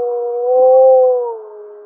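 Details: Close, loud howl of gray wolf 1048M from Mollie's pack, April 2025, second harmonic stronger than the fundamental; a smooth sustained tone rising slightly in the middle, then easing down in pitch and volume.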